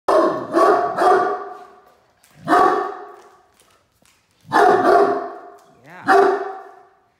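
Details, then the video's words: Great Dane barking as a watch dog when a truck pulls into the driveway: loud, deep barks in clusters, two quick barks, a pause, a single bark, then two more spaced barks, with room echo. "What Happens When The Great Dane Security System Goes Off"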